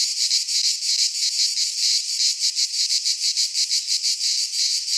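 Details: Greek pine forest cicadas in midsummer, a harsh high buzzing song beating in clear regular pulses, roughly three per second, over a quiet background.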